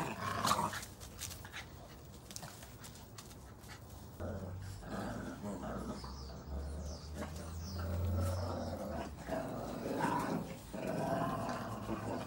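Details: Playful growling from red and brown Boston Terrier puppies tugging at a chew ring, low rumbling growls with scuffling and bumping noises throughout.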